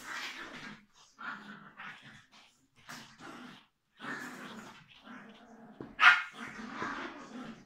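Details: Tuppence, a female Biewer Terrier puppy, indoors during brushing and microchip implanting; short bursts of yips and small barks, ending in a sharp, loud yelp, with a woman talking to her between sounds.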